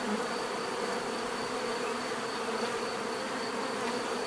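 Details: Short stretch of natural bee buzzing: a thick, level hum of numerous bees with a faint high tone above, no other sounds standing out.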